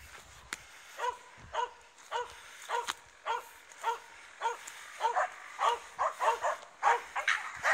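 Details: Finnish Spitz barks at a raccoon dog: sharp, repeated yaps almost twice per second, growing louder and more crowded toward the end, with occasional knocks.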